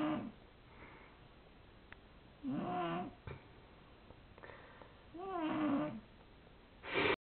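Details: Cat asleep and snoring indoors, each breath a hoarse, buzzy snore with a wavering squeaky whistle, repeating roughly every two to three seconds.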